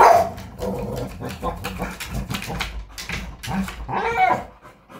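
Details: A Rottweiler barks in a rapid string of deep, rough barks with short gaps between them during attack training.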